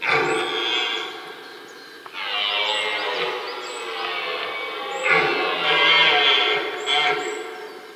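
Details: Red deer roaring in the middle of a rutting area during the rut: loud, harsh, harmonic-rich bellows in three long bouts, the first ending near two seconds and the next two running about three seconds each, with faint high chirps above.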